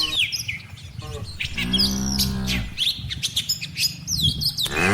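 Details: Tame cattle from a herd of dozens, mothers with calves, grazing in a rice-field pasture before heading to the barn; one drawn-out, low moo of about a second mid-clip, with many sharp bird chirps and tweets throughout.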